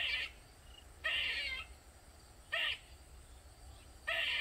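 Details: A squirrel cries loudly in a backyard in Maryland, a bout lasting over 45 minutes. Four hoarse, grating calls, some long and some short, come about every one and a half seconds against quiet surroundings.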